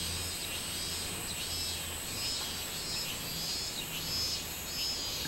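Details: Minmin cicada singing, 24 July 2016: a high buzzing drone that pulses in repeated swells, with a faint low hum underneath throughout.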